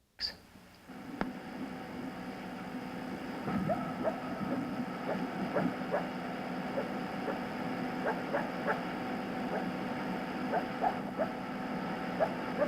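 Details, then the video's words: A coyote gives non-aggressive barks, soft, short and less coarse than aggressive barks, with yips in an irregular series whose volume tapers off, over a steady background hum. "So let's listen to a non-aggressive barking sound made by a coyote."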